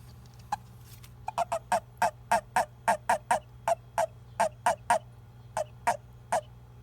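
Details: Male Japanese toad calling when picked up by hand, a call said to declare it is male when another male mistakes it for a female during amplexus; nearly twenty short, clipped, cute croaks in quick uneven runs over a steady low hum.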